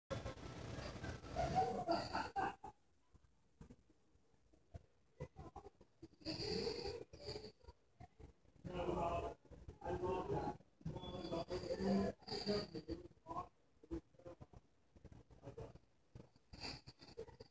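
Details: A dog-sat English Bulldog, possibly a bulldog mix, snores while sleeping in rough, rasping bursts separated by short quiet gaps.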